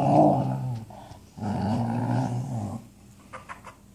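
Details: A Shiba Inu trying to eat the floor or a phone case makes odd mouth sounds: low, rumbling growls in two drawn-out bursts with a short pause between.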